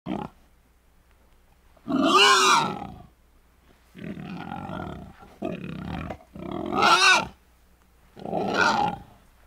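A wild boar gives harsh, drawn-out grunts and squealing roars in separate bursts about a second long.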